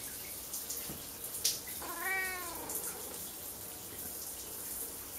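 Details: Siamese cat in a bathroom meowing loudly while being petted as the shower runs; one drawn-out arching meow of almost a second, preceded by a clatter, with constant water noise throughout.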